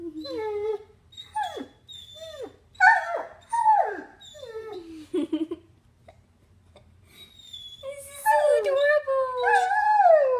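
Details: Puppy Copper, missing the woman who left, utters a series of short, downward-sliding yelping whimpers about once a second, then a rising, drawn-out howl near the end, in a quiet indoor room.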